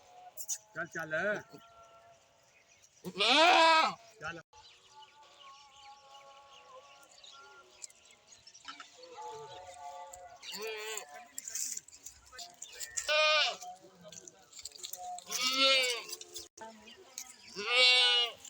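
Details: Goat bleats scattered over a quiet background: one loud quavering cry early, then several shorter, fainter wavering calls toward the end, with low murmuring between.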